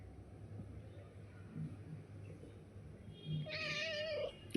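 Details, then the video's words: Pet cat Pari calling out to her owner at home: one drawn-out, wavering meow near the end, after a quiet stretch with low room hum and faint background noise. "बाबाला हक्काने आवाज देणारी लाडकी परी....."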